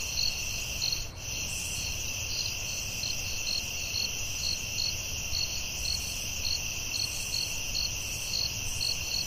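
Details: Crickets calling at night in a forest: a steady high band of trilling with a second line of short pulsed chirps repeated about twice per second, over soft low background hiss.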